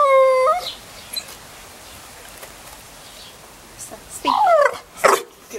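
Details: Staffordshire Bull Terrier cross crying on cue: a drawn-out tonal whine at the start, then brief yelping whimpers near the end, with a person's voice encouraging him.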